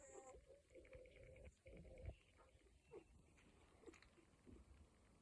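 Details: A litter of week-old Cocker Spaniel puppies gives faint, drawn-out whines and short squeaks, a few brief higher yelps breaking through a quiet, rumbling background.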